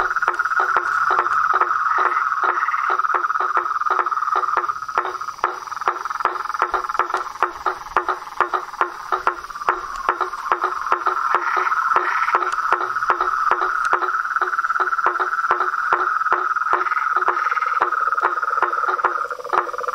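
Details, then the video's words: Toads, frogs and treefrogs calling in nature: a dense, unbroken high trill runs throughout, overlaid by short, lower pulsed notes repeating roughly two to three times a second, with occasional brighter rising calls standing out. "Os sons dos sapos , rãs e perereca na Natureza"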